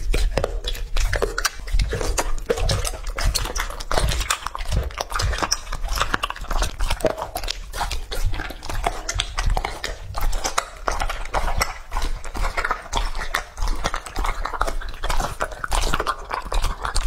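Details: Steady, dense chewing and biting as Lucky, a two-and-a-half-year-old male English Labrador, eats raw meat indoors in close-miked ASMR style; rapid crunches and wet smacks continue throughout, with faint speech in the background.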